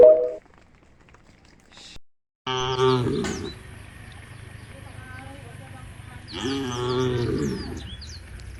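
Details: Tame cattle walking toward a field bordering a forest: two separate low, harmonic moos, each about a second long, with a quiet stretch between and faint bird chirps after the second call.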